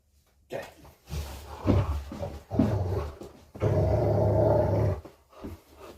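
A Rottweiler gives low, throaty play growls in several short rumbling bursts, then one long sustained growl. The growling is playful rather than threatening, and the sound is heard indoors.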